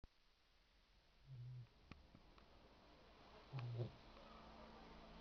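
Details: Ara, a three-month-old Boxer puppy, dreaming in sleep: two short, low, rumbling snore bursts about two seconds apart, quiet overall, with a faint click in between.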